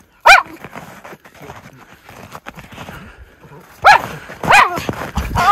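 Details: Miniature Schnauzer brothers Lucky and Levi, white, romping through tunnel trails in deep snow in Aroostook County, Maine, on January 22, 2023, after two snowy weeks; three sharp, bright barks, one at the start and two near the end, over crunching steps and a woman talking.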